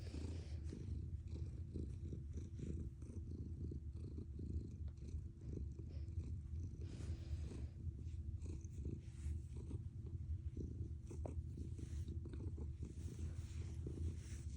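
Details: Pet cat giving a strong engine-like purr, a dense low rumble pulsing evenly for the whole stretch, with occasional soft clicks and rustles on top.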